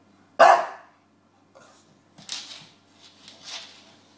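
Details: James the bulldog, busy with his pillow, lets out one loud, abrupt bark, followed by softer scuffling and faint huffing sounds in a quiet indoor space.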